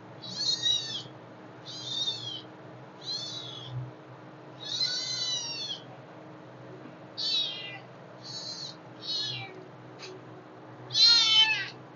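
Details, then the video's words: Hungry kittens crying in a rapid, uneven series of about nine shrill, quavering meows, some short and some drawn out, the last one loudest, over a quiet low background hum. "Super Cute kittens Hungry 🥺 Meow's video"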